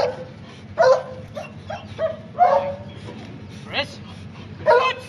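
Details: German Shepherd in protection work on a tug boat; scattered sharp barks and yelps at irregular intervals over low background rumble.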